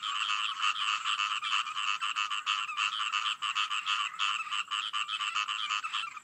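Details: Frogs in full chorus, rasping rattled croaks pulsing quickly, with loudness rising and dipping in uneven waves across the stretch.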